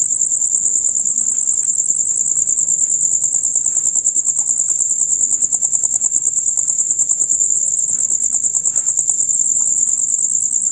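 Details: A chorus of chirping male crickets, loud and rapid, as heard from dusk until dawn; one high, tightly pulsed trill continues without pause, while faint scattered low sounds sit far behind it.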